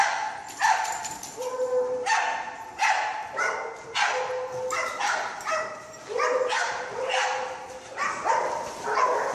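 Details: A pet dog barks in a rapid series of short, sharp woofs, roughly one every half second to second. Some are followed by brief yips, with bright harmonics throughout. Indoor background noise.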